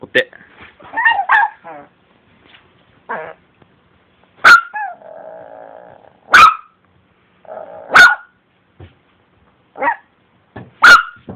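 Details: Chiwako, a female Long Coat Chihuahua born in 2010, at home: sharp high yips repeat every one to two seconds, with softer whining between them, while a person keeps saying the 'paw' command.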